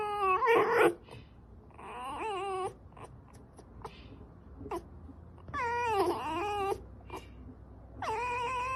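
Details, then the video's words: A fox, likely a pet kept indoors, giving several harmonic whining calls in separate bursts, some rising then falling, with short clicks and sniffs between them in a small quiet room. "Foxxo makes noises"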